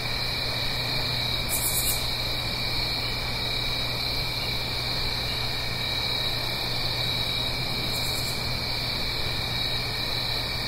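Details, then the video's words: Fall crickets at night in the Blue Ridge Mountains near a gentle stream: ceaseless high trilling in two bands, with two short buzzy bursts at about two and eight seconds, set against a steady low rushing background. "Fall Cricket Song"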